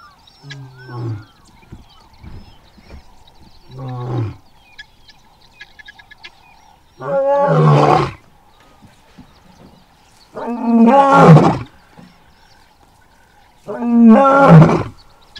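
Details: A South Luangwa male lion roars in a building sequence: two short, low moaning grunts, then three long, full-throated roars spaced a few seconds apart, with a faint steady hum underneath.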